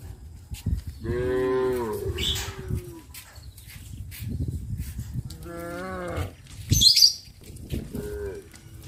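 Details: Cows released in the morning call to their friends while heading along country roads to green fields. Three wavering, harmonic moos of about one second each sound alongside a low rumble and a brief high chirp.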